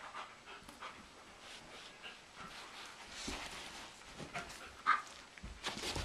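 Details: Sugar Tree and Blondi, a Doberman and German Shepherd pair, play-wrestle indoors in April with sheep Dasher and Edie looking on. Soft, breathy panting and scattered huffs sound at low level, with a brief sharp sound near the five-second mark.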